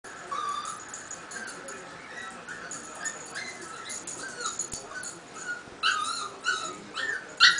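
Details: Lulu, a two-year-old female Chihuahua, crying after waking up alone while her owner worked in a guest room; soft, high whining cries, faint at first, then sharper, louder yelping whimpers in the final two seconds.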